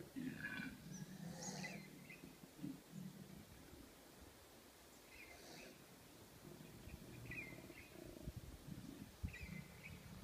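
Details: A male koala gives its mating-season call, a deep, rasping bellow of snore-like pulses, while a female nearby makes screech sounds and small birds chirp.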